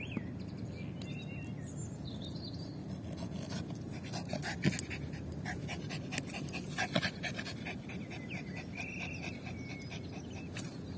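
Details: Lucy, a Yorkshire Terrier, pants softly while playing fetch with a ball, a run of fast, airy breaths at an even pace over a low background rumble, with some faint high chirping.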